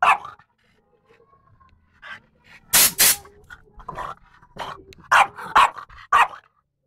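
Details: French Bulldog Lara reacting wildly to a compressor. Two long roaring air bursts in the middle, then a quick run of four or five short sharp barks near the end, with faint noises in the gaps.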